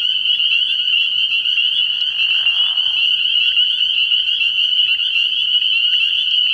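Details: Spring peepers calling at night from a frog pond early in the year: a dense, unbroken chorus of high, shrill peeps merging into a steady ringing wall of sound, with a brief lower, rougher burst midway.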